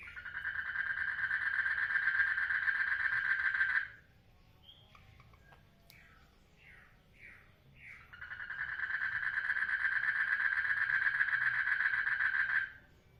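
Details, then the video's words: Frogs mating in a water lily pond: a loud, steady pulsed trill runs for about four seconds, breaks for short chirping notes, then resumes for another long trill of similar length. "FROGS MATING IN WATER LILY POND"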